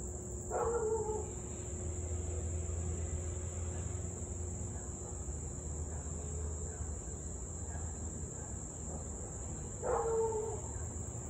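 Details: Husky in Louisville on the evening of 3 August 2021, 6:24 pm, barking and howling for nearly 30 minutes; two far-off harmonic barks about nine seconds apart, separated by low humming and a steady high-pitched insect chorus.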